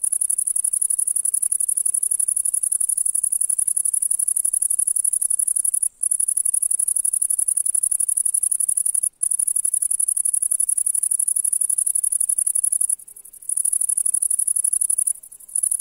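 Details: A grasshopper in the grass of a summer meadow on a July day sings a continuous, high, hissing buzz of rapid pulses, broken by brief pauses.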